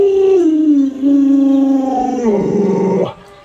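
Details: Pet Alaskan Malamute howling: one sustained tonal howl of about three seconds that starts higher, slides down and holds steady, then turns rougher and wavering before it stops abruptly.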